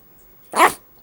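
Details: A Chihuahua performing tricks on her owner's commands to sneeze and to say "gaf" gives a single short, high, sharp bark.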